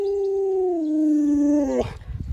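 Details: Pet Alaskan Malamute howling indoors: one sustained, smooth tonal howl that sinks slightly in pitch over nearly two seconds, then breaks off into rustling noise.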